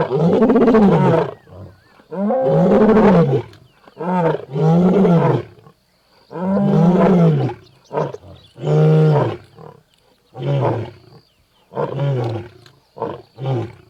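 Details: Angry lion in a jungle: two long, full roars, then a run of shorter grunting calls that come roughly every second and gradually weaken toward the end.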